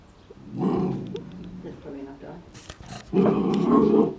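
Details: An Airedale Terrier puppy, seeing his reflection for the first time and unsure whether to befriend or frighten it, gives two low, rumbling growls, with a person speaking briefly in between.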